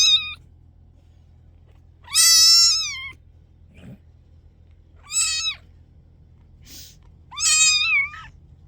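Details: Several loud kitten meows indoors, long wavering cries with rich harmonics, one near a second long, separated by short pauses, with a faint soft thump between calls and a low hum beneath.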